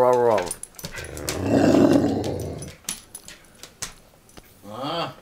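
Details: Pet dog named Ragnar giving his play growl indoors in a dim room: a brief rising whine opens, then a rough rumbling growl lasting about a second and a half, scattered sharp clicks, and a closing harmonic, singing howl; a person speaks nearby.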